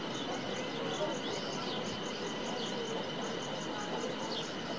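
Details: Cicada in Himachal Pradesh, India, giving a steady high-pitched drone with evenly spaced rapid pulses repeated several times a second, over constant background hiss, with a few faint sweeping bird notes.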